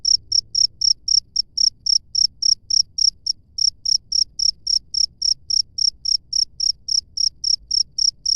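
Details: Cricket chirping in the wild: short, high, bright chirps at a steady pace of nearly four per second, each pulse sharp with a faint upper overtone, over a quiet low background hum.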